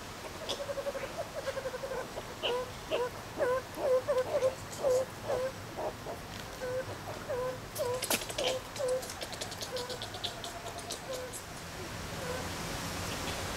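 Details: Captive meerkats at Zoo Rostock, Germany, in July 2014, playing and relaxing, filmed on a Sony HDR-CX550 camcorder: a busy run of short, mid-pitched peeping chirps, about two per second, in uneven bursts, with a brief rustling clatter midway.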